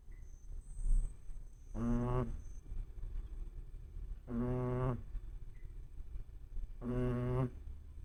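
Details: Shih Tzu puppy asleep, snoring: three soft, low, droning buzzy snores, each under a second long, repeated about every two and a half seconds with quiet breathing gaps between them.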